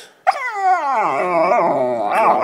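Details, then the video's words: Black Labrador Retriever puppy under a couch, getting loud: one sustained howl that starts with a sharp high onset, slides steadily downward, then wavers and climbs again near the end. "Black Lab Puppy Cabo Talking Under The Couch"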